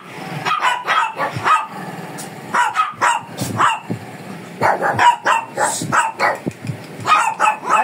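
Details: Grooming session with a fierce Shih Tzu, the dog barking almost without pause in rapid, uneven volleys of short yappy barks for nearly eight seconds.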